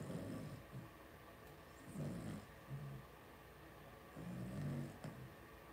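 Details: Cavalier King Charles Spaniel puppies, blenheim-coloured and two weeks old, resting together in a home puppy pen: repeated low, throaty grunts and snuffles in uneven bursts, with a soft click near the end.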